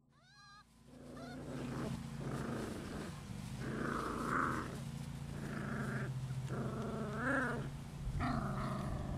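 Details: Six-week-old rescue puppies from Holly's litter of six males and four females, Lonely Hearts Animal Rescue, make drawn-out whines and low growly yelps in overlapping bursts, with a steady low hum beneath.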